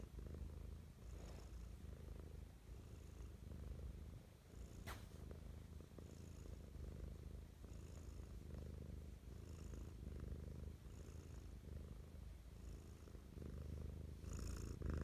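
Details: Loving morning purr from Mischa, a house cat, recorded up close: an unbroken low throbbing drone for fifteen seconds, breathy high hiss returning roughly every second and a half, one sharp click near five seconds.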